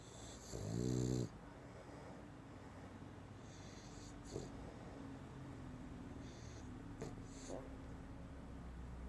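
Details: A sleeping dog gives one loud, low rumbling snore near the start, followed by quieter breathing and faint soft snorts in a still room.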